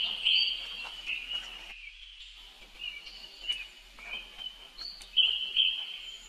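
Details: Baby monkey brother crying for help as his sister runs fast; repeated shrill squeals broken by short pauses, some rising, others dropping.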